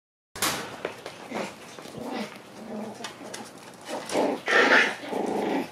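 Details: Black female Shiba Inu puppy born on 14 June, indoors in a small room, giving a run of short yips and growly barks. The calls come irregularly and swell into a louder burst near the end.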